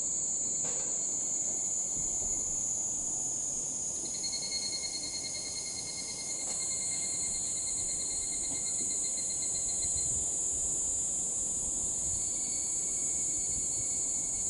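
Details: Evening cicadas heard as evening falls: a continuous piercing high buzz with fainter tonal lines that come and go, a brief soft dip near the middle, and low ambient rumble underneath.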